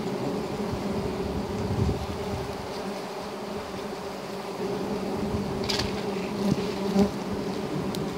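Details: Giant honey bee (Apis dorsata) during honey hunting: a steady, dense, low droning hum from many bees with layered tones, continuous throughout, with occasional faint clicks and rustles.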